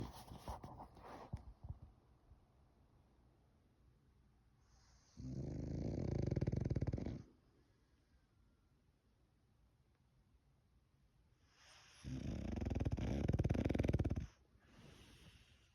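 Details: Male French Bulldog snoring loudly, two long rough rumbling snores a few seconds apart, each lasting about two seconds, with quiet breathing in between.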